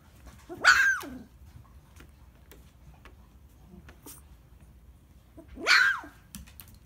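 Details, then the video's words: Standard Poodle puppy, the green boy, barking for the first time indoors: two short, sharp bright barks, the first near the start and the second about five seconds later, with quiet room between them. "Green boy first barking"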